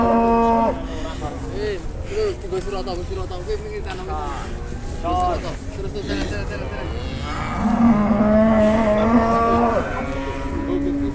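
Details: Very large cattle in Indonesia, sold on arrival: a brief moo at the start, men talking through the middle, then a longer rich, harmonic lowing that swells and holds near the end, with some engine noise.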